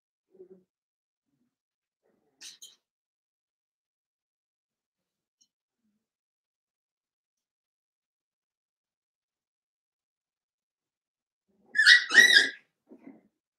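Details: Blenheim Cavalier King Charles Spaniel puppies, a litter of five about seven weeks old, in an indoor puppy pen; after long near-silence comes one short, loud, high-pitched yelp with a brief squeaky tail, then faint soft sounds.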